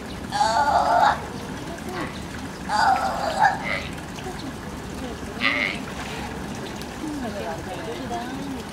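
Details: At Higashiyama Zoo in June 2017, a young California sea lion climbs rocks, uneasy and calling to its mother; three raspy, wavering bleats, the first two longer, with visitor chatter and background hubbub throughout.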